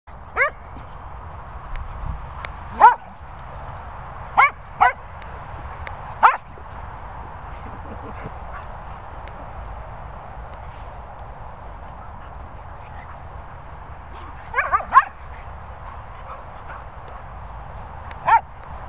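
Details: Cocker Spaniel barking in short sharp single barks, scattered in bursts near the start and again around fifteen seconds, over a steady low background hum.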